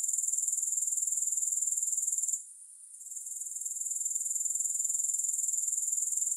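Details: Grasshoppers recorded without music: a shrill, evenly pulsed trill that stops for under a second midway, then gradually returns to full strength.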